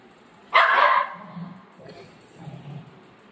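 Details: Pet Golden Retriever Buzo upset over ice cream eaten by its owner gives one loud, sharp bark followed by quieter low sounds indoors.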